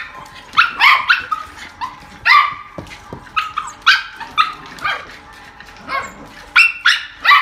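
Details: Beagle giving loud, high, bawling barks, some drawn into brief yelping howls, repeated irregularly about once a second.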